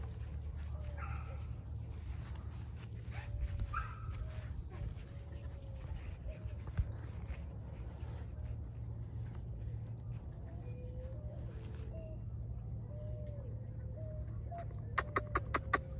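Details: Litter of Border Collie puppies aged 49 days, born 19 April 2022 to a German sire and Russian dam; faint whining squeaks and short yips come in uneven bursts, with handling noises and a few sharp clicks near the end.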